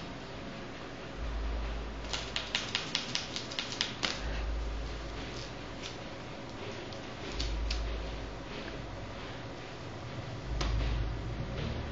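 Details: A rapid run of soft clicks like typing sits over a steady background hiss and low hum, with scattered taps later and no animal sound.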